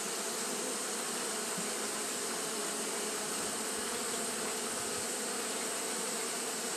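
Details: Continuous fanning by Japanese honey bees on a hot day, heard as a thick, unchanging buzz layered with bright high-pitched hiss, steady level with no pauses or other voices.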